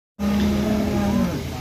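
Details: Jumbo Limousin cattle bulls that arrived late at a farm in Ampel, Boyolali, Central Java, being disinfectant-sprayed on unloading; one steady, low, droning moo of about a second, with engine hum and a voice.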